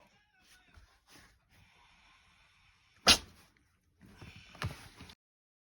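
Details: Maron, an American Shorthair cat playing inside a box, gives one sharp, sudden sneeze. Soft rustling and shuffling in the box come before it and a few quieter scuffs follow.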